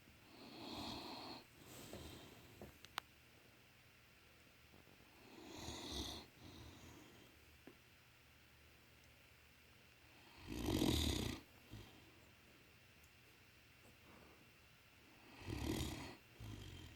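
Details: A male Great Dane, sound asleep, snores with deep, rasping breaths every few seconds.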